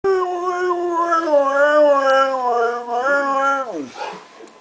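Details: Pet husky yodeling his joy at Christmas indoors: one long, sustained, harmonic-rich howl holding a steady pitch, wavering slightly, then sliding downward at the end over about four seconds, followed by a person speaking.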